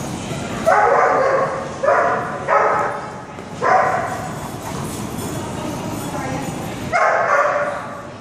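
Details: Six-month-old female Otterhound puppy, over 70 lbs and once shy, at play with bigger dogs: five deep, hoarse barks in irregular bursts about a second long, with rough background noise between them.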